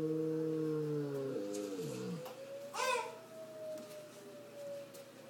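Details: Zeb, a Bouvier des Flandres, howls during a tornado siren: a steady siren tone runs throughout while the dog's voice slides downward in a harmonic wail, then rises in a short, bright cry near the end.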